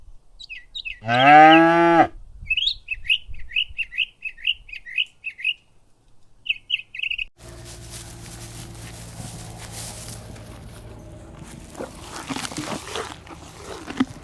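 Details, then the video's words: Cow grazing in a golden ripe rice field in the countryside on an afternoon; one loud, harmonic, drawn-out moo lasting about a second, followed by a run of short high bird chirps and then a steady rustling, noisy background. "Happy cows grazing on ripe rice fields - The sound of cows grazing"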